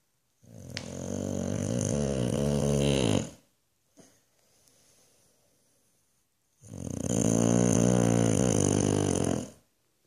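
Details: A sleeping Boxer named Boofy snores loudly in Australia. Two long, harsh, rattling snores of about three seconds each are split by a quiet pause with soft breathing.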